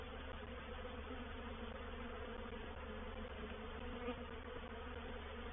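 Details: Reproductive swarm of honey bees moving into a bait hive (swarm trap) at Painted Peacock Manor on 04/07/21; a dense, steady droning hum of many wings, unbroken throughout, with harmonic bands layered from low to mid pitch.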